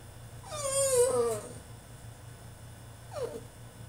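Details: Caged French Bulldog in a tantrum, giving one wavering, high, complaining whine that bends upward and then sinks, followed after a quiet gap by a brief falling whimper; low hum in the room.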